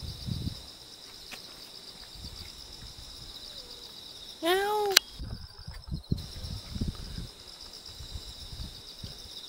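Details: Cute wild cat in Jeonju, North Jeolla Province, Korea, giving one short meow that arches up and then falls, set against a steady high insect drone and low rumbling background noise.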